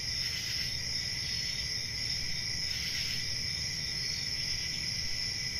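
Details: Crickets in a dense, unbroken chorus: a steady, shrill high-pitched ringing with a second lower band of trilling. The ringing swells faintly around the first and third seconds. A soft low rumble sits underneath.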